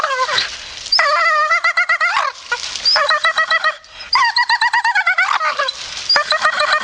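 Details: Grumpy Staffordshire Bull Terrier producing a string of pulsed, chattering grumbles, each burst a rapid trill of harmonic moans lasting about a second, separated by brief quiet gaps.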